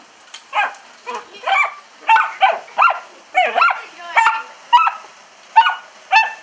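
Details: Dachshund Buddy barks at a window splashed by hose water, licking and biting at it; about ten high-pitched barks roughly every half second, some with a yelping, whimpering edge, over faint hissing.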